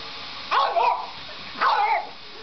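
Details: French Bulldog, one and a half years old, barking at a vacuum cleaner indoors: two short, rough, mid-pitched barks about a second apart, each with a slightly falling, yelping tail, over a low background hum.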